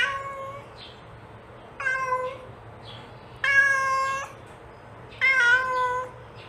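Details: A mother cat calls her kitten with four drawn-out harmonic meows, level in pitch, arriving about every one and a half seconds, the later ones louder; quiet hum underneath.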